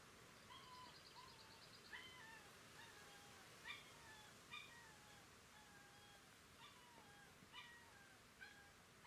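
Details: Litter of Galgo Español (Spanish greyhound) puppies recorded on 30 May 2018: thin, high whimpering squeals, mostly bent downward, recur about once a second over a steady low hiss, with brief sharp clicks in between.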